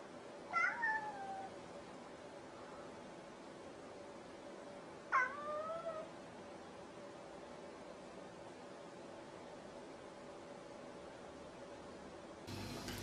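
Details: Domestic cat giving two short, bright meows about five seconds apart, each falling in pitch after a sharp start, in a quiet room with faint steady hum.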